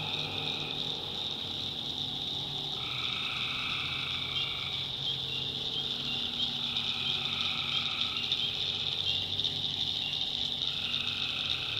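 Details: Tree frogs calling at night in a swamp in the backwoods of North Carolina: a dense, unbroken high trilling chorus with drawn-out lower notes that swell and fade in overlapping bursts, plus a faint low hum underneath.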